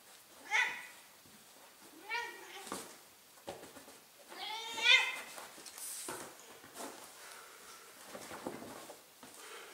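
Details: Fifteen-year-old female Ragdoll cat indoors, howling from a chair until someone plays at wrestling with her: drawn-out wavering yowls with rising and falling pitch, three strong ones a couple of seconds apart, mixed with human voices and handling noise.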